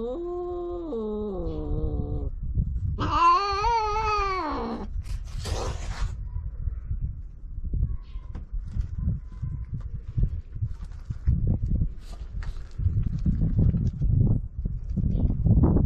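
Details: Stray cats on a Japanese cat island during mating, which begins with a kiss: two drawn-out harmonic yowls in the first five seconds, the second higher and wavering, followed by low rumbling wind or handling noise.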